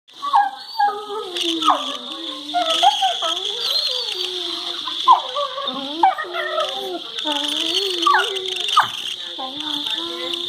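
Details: Two Labrador Retrievers playing together, making funny noises and flashing their teeth at each other, recorded February 23, 2019; continuous wavering whines and yowling moans with rising and falling pitch, punctuated by sharper yelps, over a steady high hiss.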